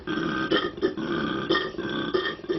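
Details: A koala at Lone Pine reserve in Australia, a mating-season male, bellows in a run of deep, grating, belch-like pulses rising and falling rhythmically; louder than a bison, the call carries across a territory of several hectares.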